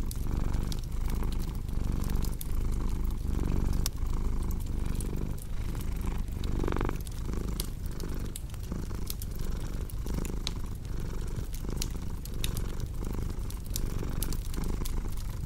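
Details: Low, buzzing cat purr running without a break, its breathing rhythm gently pulsing, set against frequent crisp snaps and pops from a wood fire crackling in the hearth.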